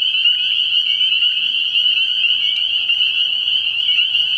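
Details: Spring peepers calling together at night from a frog pond early in the year, a continuous piercing wall of high peeps with faint upward-sliding notes and soft background frog calls.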